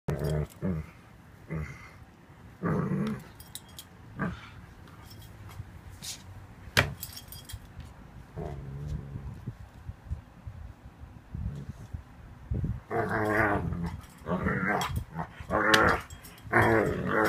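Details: Seven-month-old male Ibizan Hound making funny noises: low throaty growls and grumbling vocalisations in irregular bursts, louder rough grumbles near the end, with human speech and jangling keys in between.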